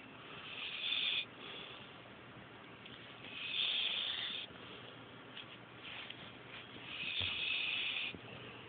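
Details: Pet dog Oakley, a female, snoring in her sleep and struggling to breathe; hissing, wheezy breaths swell about every three seconds in a steady rhythm against a quiet room.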